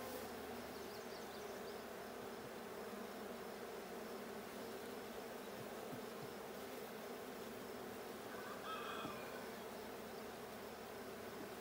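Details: Bees at a blue hive during a hive check on 6/20/22: a steady, dense droning hum from the colony with no pauses, and a faint brief higher tone near the end.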